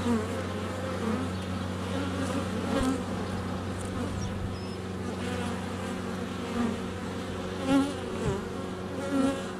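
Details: Continuous buzzing of honey bees swarming close around a GoPro Hero 7 Black at the hive entrance during sunny February weather; an even, layered drone with a few short louder bursts near the end as bees brush the camera.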